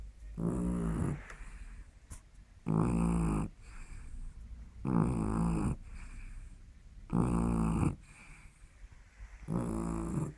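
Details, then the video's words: Sleeping pet dog snoring: five loud, rough, buzzy snores in ten seconds, each about a second long and evenly spaced, with soft breaths between. "Lily roncando"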